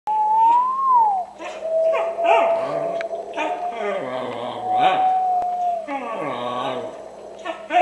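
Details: Pet dog howling in response to its owner's strange whistling: a high wavering whistle opens, then long, steady, drawn-out howls, sliding up and down between breaks, mixed with some human voice.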